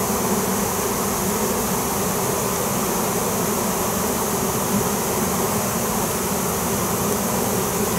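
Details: Many honey bees swarming overhead after being called in with a banged crowbar: an unwavering, loud, low-to-mid droning buzz that holds constant for the whole stretch.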